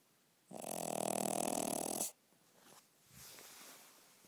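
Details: Dog snoring at night: one loud, rattling, buzzy snore of about one and a half seconds, followed by quieter breathing sounds.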